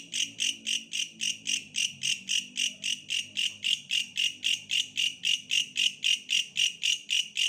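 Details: Bush cricket song of evenly spaced, high, scratchy pulses at roughly four per second, continuing without a break, faint low hum behind.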